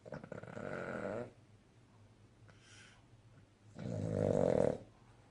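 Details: A contented, sleeping Cavalier King Charles Spaniel snores deeply, each breath a rough, rattling rumble lasting about a second, the snores coming in slow pairs separated by quiet intakes of air.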